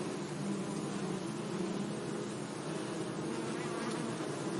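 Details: Many bees hum among flowers in a sunny meadow, their overlapping drones merging into an even, continuous low buzz that holds at a constant level throughout, with a few passing bees swelling slightly above the mass.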